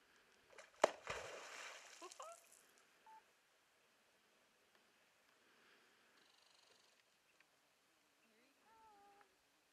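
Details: A North American beaver (Castor canadensis) at Iron Mountain smacks its tail on the water, giving a sharp crack and a splash.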